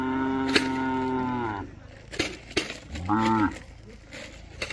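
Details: Young Khillar and Mysore bull calves at a farm stall in Maharashtra, bred for bullock races; one long steady moo then a shorter rising-falling low, with clicks and knocks in between.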